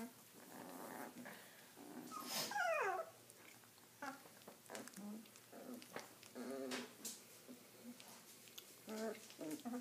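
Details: Three-week-old Redbone Coonhound puppies indoors: one sharp yelp slides steeply downward mid-clip, surrounded by soft, short whimpers and grunts from the litter, with a person's quiet voice nearby.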